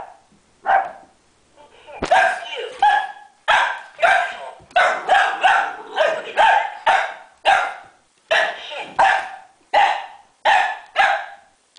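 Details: Ziggy, an 11-week-old boxer puppy, barks steadily at a red ball during play, roughly every second, high sharp yaps following a loud knock at the start.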